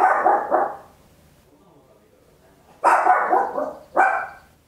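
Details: Loud barking from a tiny Papillon at home, stereo Olympus LS-11 recording: a doubled bark opens, a two-second pause follows, then a harsh drawn-out bark and a quick final one.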